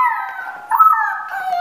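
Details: Blue-eyed grey-and-white female Siberian Husky puppy, born 4 March 2018 at a Moscow kennel, recorded 21 April 2018. She gives a drawn-out, wavering, tonal howl that dips, jumps to a brighter peak, then slides gently downward.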